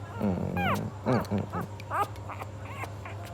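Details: Hungry puppy crying: a run of high, arching whines and whimpers, some sliding down in pitch, several bursts within three seconds, over a steady low hum with faint background sounds.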